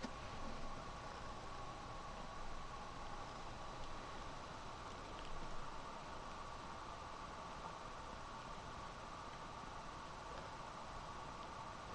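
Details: Constant hiss with a mechanical hum, like a fan or distant traffic, with no animal calls heard.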